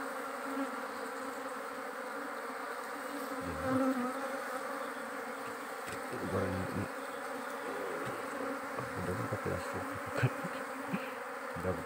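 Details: Wild giant honey bees, a forest dorsata colony, at a small nest being harvested for honey by hunters. A dense, steady swarm drone fills the scene, with low thumps and handling noises around the middle.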